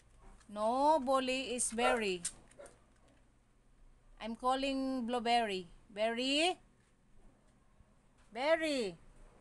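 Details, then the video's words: Arguing Siberian Husky producing bursts of expressive, speech-like yowls and whines, each rich in harmonics and bending up and down in pitch, grouped into three or four outbursts separated by short quiet gaps. "HUSKY ARGUING"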